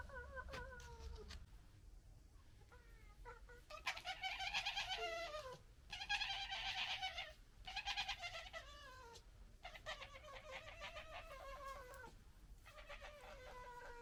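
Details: Local red fox family fighting and arguing: harsh, raspy, chattering screams in loud bursts broken by brief gaps, mixed with higher wavering cries, the squabble rising and falling in intensity.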